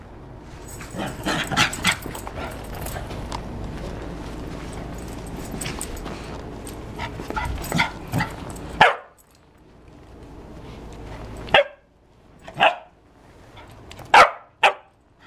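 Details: Dog barking: several seconds of loud rustling and clattering, then five sharp, separate barks over about six seconds, with short quiet gaps between them.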